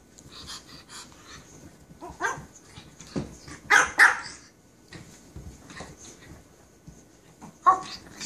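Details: Japanese Chin dog barking: short, sharp, broadband barks come irregularly, with a quick pair of louder barks midway and a single bark near the end, separated by quiet stretches with faint low background noise.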